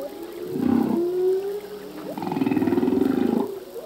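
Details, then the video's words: Singing male humpback whale at sea: two long, throbbing low groans, the second pulsing steadily for over a second, joined by a smooth sustained tone and a short upward slide between them. "Whale song - full length humpback whale song"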